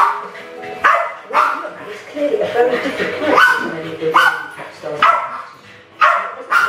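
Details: Two pet West Highland White Terriers, Alfie and Crystal, about seven and eight years old, playing with balloons in a kitchen in 2012; sharp barks roughly once a second, mixed with human speech and a balloon squeak.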